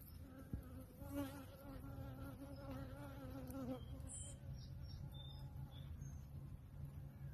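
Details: Honey bees at a Cambodian beekeeping operation hum in a dense low drone, with a nearby bee's wavering buzzing whine for the first four seconds before it fades, leaving the steady colony hum and a few faint high chirps.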